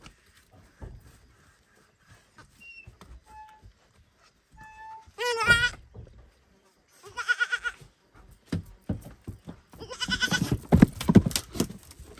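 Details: Baby goat at a barn loudly calling for its mother: three strong, wavering, harmonic bleats, the last longer and rougher, separated by pauses, with faint thin tones, knocks and rustling between.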